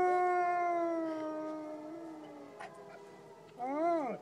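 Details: Wolves of the Lakota Wolf Preserve howling, a quieter, more distant chorus: a long tone slowly sliding downward, a couple of faint overlapping voices, then a final howl that swoops up and falls sharply.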